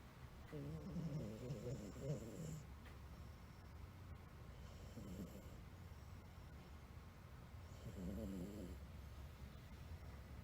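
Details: Sleeping blue Somali cat, a male born in December 2007, snoring indoors: three rough, buzzy breaths spaced a few seconds apart, each a low grating rattle with a faint hiss between them in a quiet room.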